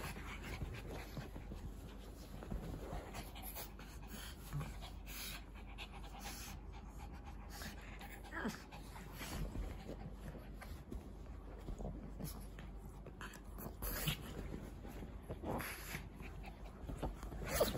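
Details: Dog panting, a Shih Tzu or a Pug, with quick rhythmic breathy puffs repeating steadily through the recording, mixed with faint speech and soft handling noises.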